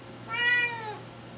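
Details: Female pet domestic cat meowing indoors while her owner invites her on camera; a single drawn-out harmonic meow, about 0.7 seconds long, rising slightly then falling, in a quiet small room.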